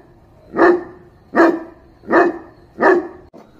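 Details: Dog barking four times at a steady pace, each bark deep and full, coming a little under a second apart, over a quiet background.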